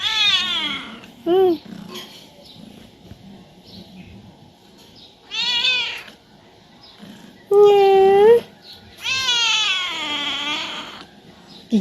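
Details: Talkative pet cat at home calling to get its owner to play, giving a series of drawn-out wavering meows, some rising then falling, with short chirp-like calls between them; quiet room, faint human voice in background.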